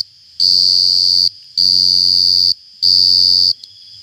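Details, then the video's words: Cricket chirping so loudly it leaves the ears ringing: three long, shrill, steady buzzing bursts of roughly a second each, broken by brief silent gaps, very close and intense. "jangkrik ngerik Sampek cemering neng kuping"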